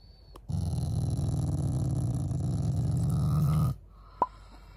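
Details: Shiba Inu family dog growling affectionately at its owners: a single low, pulsing growl lasting about three seconds, rising slightly in intensity toward the end, then a short click.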